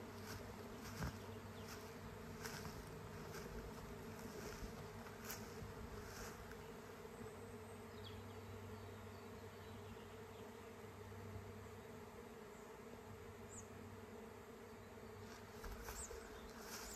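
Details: Swarm of honey bees in flight heading for a new home, the colony's natural way of multiplying; soft continuous droning hum under a steady low tone, with occasional brief clicks and closer buzzing bees.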